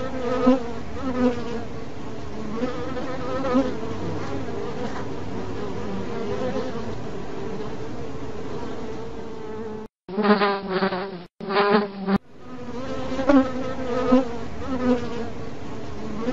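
A steady, droning bee buzz, low and humming with a rich, slightly wavering tone.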